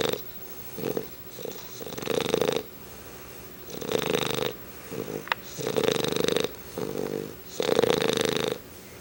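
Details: Sleeping English Bulldog Chubbs, whose snoring has become louder than his owner's, gives a run of harsh buzzing snores, some long and some broken into short rattling bursts, with one sharp click in the middle.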